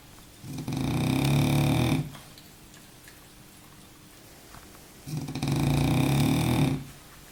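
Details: Baboo the French bulldog, deep in a nap, lets out two rough, growly snores separated by roughly three seconds of soft breathing, each snore steady and loud for about one and a half seconds.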